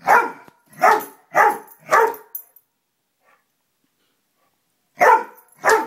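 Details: Dog named Lollie barking at a moth, a rapid run of four even barks about half a second apart, a silent pause of nearly three seconds, then two more barks.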